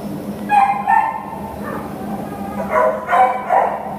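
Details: American Pit Bull Terrier available for adoption at a shelter, giving short whining yelps in two bursts, high nasal tones repeated quickly with pauses between.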